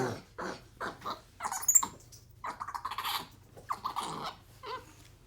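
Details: Pet capuchin monkey Ohana, Xander's brother, excited and playful indoors while biting, slapping, hugging and 'talking' to his owner. Short squeaky, breathy chirps come in bursts roughly every half second, with quiet room sound between them.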